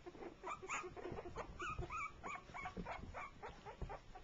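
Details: Three-week-old shorty Jack Russell Terrier pups meeting and playing for the first time, with a four-month-old pup joining in; rapid high yips and squeaky whimpers overlap in busy bursts, with some low rustling throughout.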